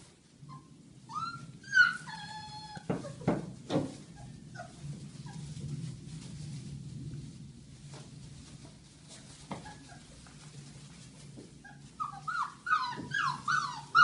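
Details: Belgian Malinois puppies, Rea among her littermates, at play indoors: scattered high whining yelps that rise and fall, in short bursts near the start and again toward the end, over a low steady background hum.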